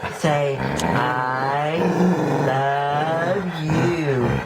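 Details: Nike, a pet dog, 'talks' in a long, sustained, yodelling groan-howl that bends up and down in pitch for several seconds in a small room, as its owner coaxes it to say I love you.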